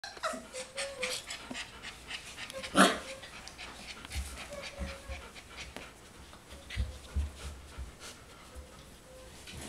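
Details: Four-week-old golden retriever puppies panting softly in quick, airy bursts, with faint thin whimpers near the start and middle and a sharp knock partway through.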